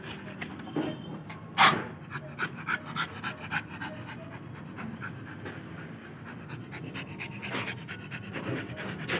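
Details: Pocket American Bully dog panting in steady, rapid breathy pulses through most of the stretch. One sharp, louder huff comes near the start. Faint human voices sit in the background.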